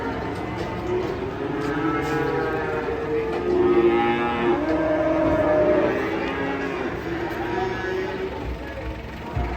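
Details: Cattle unloaded from a truck, giving a string of long, level lowing moos that swell in the middle, mixed with background chatter and music.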